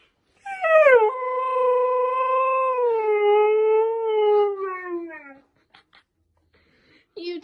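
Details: Husky puppy howling: a single long, smooth, tonal howl that slides down and holds steady for about five seconds, then fades lower, followed by a short yelp and a person talking.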